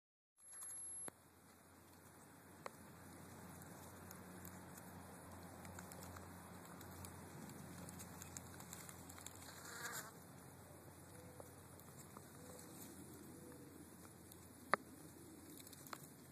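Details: A honey bee on skunk cabbage hums with a low, steady wing drone beneath soft pattering and hiss.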